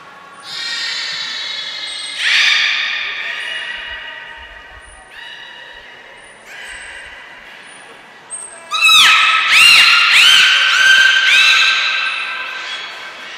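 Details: Captive belugas Gray, Nana and Mirai during a training session at Port of Nagoya Public Aquarium, Japan, on 10 February 2024: a series of long, flat, harmonic-rich tonal calls, then a burst of louder, buzzy, warbling calls in an indoor hall.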